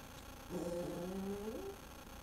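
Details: Dog indoors voicing strange noises because it wants the bone another dog is chewing; a drawn-out, tonal groaning moan lasts about a second, wavering slightly before fading.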